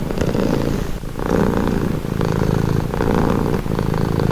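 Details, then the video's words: Relaxing cat purring, a close, gravelly drone with regular breath-paced surges and short pauses roughly every second, no background sounds. "Purring cat | Calming Relaxing Nature Sound"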